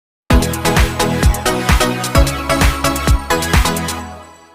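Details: Electronic dance music with a steady thumping beat and layered synth tones, with no animal sounds.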